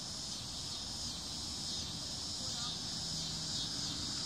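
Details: Cicadas calling in summer, an intense ringing high drone that swells slightly now and then, with a low rumble and a brief faint tone in the background.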